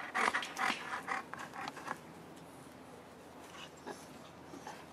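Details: Five-week-old Boerboel pups with mother Cleo give a quick series of sharp, squeaky yelps and grunts in the first two seconds, then fainter isolated squeaks against quiet background noise.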